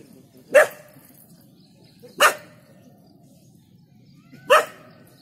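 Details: Dog at Jhalana barking off a startled leopard after waking from a brief slumber: three loud, isolated barks, each sharp and short, spaced about two seconds apart over low background hiss.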